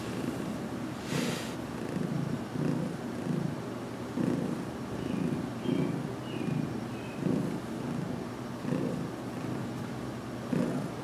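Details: Domestic cat, about two weeks in a new home, purring while receiving a head massage indoors in a closet; a low, rumbling purr pulses steadily through the clip, with faint rustling in the background.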